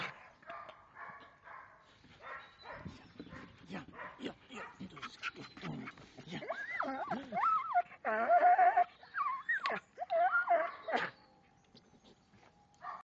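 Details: Loud, excited Belgian Malinois: rapid yips and barks turn into long wavering whines that rise and fall, then a steady thin whine holds near the end, with short pauses between bursts.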